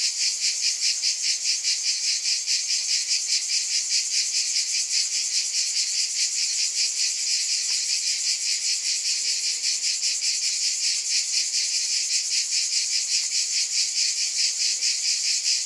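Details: Unbroken high cicada buzzing with a rapid rhythmic throb, constant in loudness from start to finish, alone without other animals or people.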